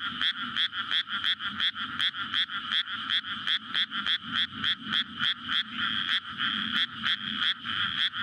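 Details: Night frog chorus in a flooded May rice paddy beside a road in a residential area, a courtship gathering for egg-laying, Sony PCM-D100 recording; rapid, somewhat uneven croaks overlap into a loud rattle over a faint low hum.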